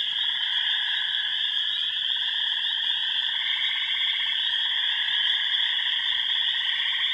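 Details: Many frogs calling together at remote ponds, Yellow Dog Plains, Upper Michigan, where wood frogs, spring peepers, green frogs, gray tree frogs and toads live. Continuous layered trills: a shrill high band over lower buzzy, pulsing tones, unbroken throughout.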